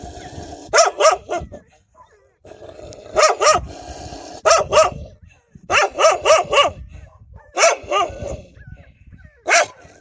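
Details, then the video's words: Fierce barking from wild dogs defending their puppies: loud, clipped barks delivered in doubles and triples every second or two, some quieter barks near the end, with low background rumble. "كلاب برّية تدافع عن صغارها بصوت نباح قوي ومرعب!"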